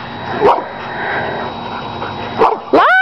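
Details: Neighbourhood dogs barking in the distance while two pet dogs play in a yard, unbothered. Two short, sharp bark bursts stand out against steady background hum, followed by a rising, whiny voice near the end.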